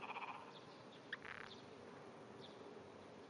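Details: Japanese wrinkled frog at dawn, 5:30 am, 16 June 2009, calling with small trembling vibrations beneath grass; quick pulsed notes at the start, then one brief grating burst mid-clip against continuous hiss.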